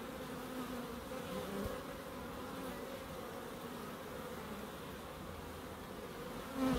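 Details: Garden bees in Crookes, in a small garden kept for nature: low continuous droning buzz layered from several insects, a gentle sliding pitch in one passing bee, ending with a sudden close loud buzz.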